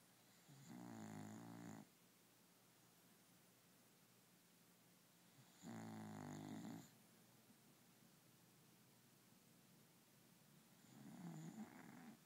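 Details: Pet dog snoring indoors: three long, rough, droning snores of about one second each, spaced roughly five seconds apart, with quiet breathing between them.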